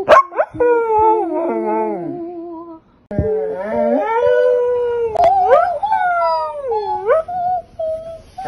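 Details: Pitsai, a pet dog, joins its owner's singing with quavering howls, first sliding downward, then after a short silence rising into a long, wavering, drawn-out note.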